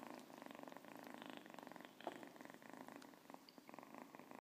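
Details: Siamese cat (Felis catus), purr.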